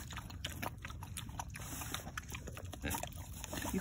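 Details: Male mini pig eating warm squash and oatmeal soup from a spoon, February 2021: low rumbling grunts run steadily beneath wet smacking and lapping clicks, with a person speaking softly nearby.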